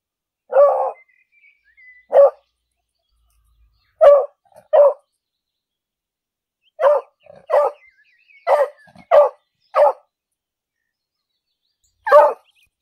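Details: Loud English beagle barking in a city park while out walking: short, sharp barks, singly or in quick runs of two to four, eleven in all, separated by silent pauses.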